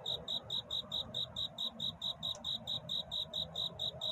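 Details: Cricket singing a love-seeking courtship song at night toward dawn: bright high chirps pulsing steadily, a little over two per second, above a soft low hum.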